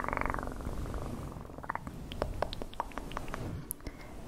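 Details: Domestic cat purring in a low, steady rumble, with a brief brighter burst at the start and scattered soft clicks and taps over the continuous drone.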